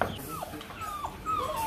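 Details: Rottweiler puppies at a breeding kennel in Hanoi, Vietnam: three thin, high whines, each sliding downward, spread over under two seconds, with faint low room noise beneath.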